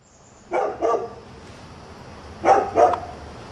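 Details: Dog heard at a new house around 7 a.m., a nuisance barker: two pairs of short, sharp barks, one pair near the start and another about two seconds later, over a faint steady hum.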